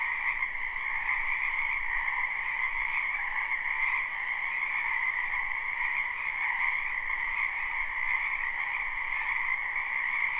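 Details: Croaking frogs fill a spring wetland behind a home in this live recording without looping: a continuous, dense chorus of buzzy trills at two pitch levels, a faint low rumble beneath.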